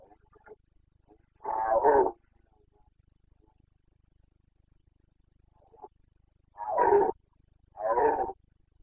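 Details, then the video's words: Rutting Carpathian stag in the mountains of Bucovina, autumn breeding season 2022, gives three harsh, throaty roars, one early and two close together near the end, separated by long quiet gaps with faint distant calls. "Boncănit / Carpathian stag Breeding season 29.09.2022"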